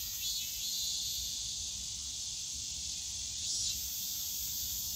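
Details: Continuous hissing buzz of cicadas in the Yongsan Family Park bamboo grove on a summer day, swelling gently twice, with distant low park noise underneath.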